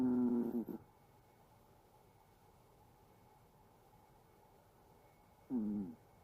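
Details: Sleeping Chihuahua snoring: two short, whistling nasal tones that slide downward in pitch, roughly five seconds apart, with near silence in a quiet indoor room between them.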